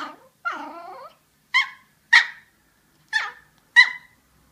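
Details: Yorkshire Terrier trying to tell something: opens with a drawn-out, wavering whining howl, then four short, sharp, high yappy barks at roughly half-second gaps; quiet room otherwise.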